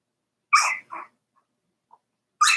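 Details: Daisy's Cavalier King Charles Spaniel puppies at four weeks old in the pen, giving two short high yelps close together, then silence and another sharp yelp at the end.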